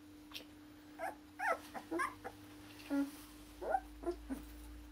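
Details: Akita puppies in Hungary, born 16 November to Kotono Go, a Japan-born Akita, now awaiting new homes; short whiny yelps and squeals repeat about every half second, with a low steady hum throughout.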